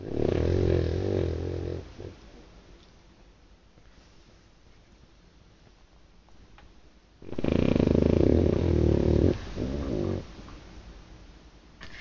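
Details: Sleeping dog snoring loudly indoors: two long rasping, buzzy snores, the first over about two seconds, the second longer around seven to ten seconds, separated by a quiet stretch of breathing.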